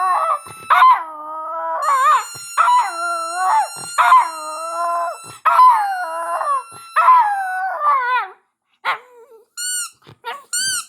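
A Siberian husky howls along with sirens in drawn-out, bending notes, repeated in bursts every second or two. Faint steady tones sit in the background, and the run ends in short, high squeaky whines.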